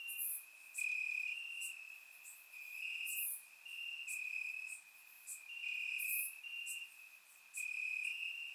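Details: Summer-night crickets calling from the grass in Bulgaria, surround-recorded; high shrill trills swell and fade in repeated one-to-two-second bouts from several insects, layered with brief very high ticks.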